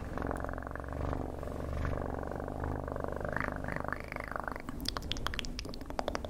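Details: Steady, continuous cat purr recorded up close, a dense rhythmic rumble with a brief rising tonal murmur near the four-second mark and a few sharp clicks toward the end.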